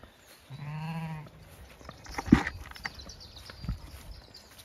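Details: Zwartbles sheep on a regenerative farm in County Kilkenny, Ireland, with a lamb following its mother as breakfast arrives. A single steady, nasal bleat of about a second is followed by scuffling and feeding noises.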